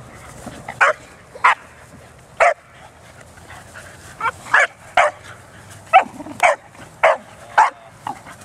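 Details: At a dog park, Bearne, an 11-month-old Bernese Mountain Dog, plays among other dogs; about a dozen abrupt, punchy barks, some paired, sound in quick irregular bursts against quiet background noise.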